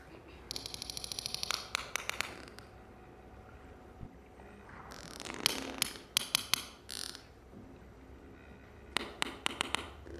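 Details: Sperm whales, a family group of mothers, grandmothers, sisters and brothers with a newborn calf, trade sharp, broadband clicks in quick, regular trains, their conversational exchanges recorded by Project CETI.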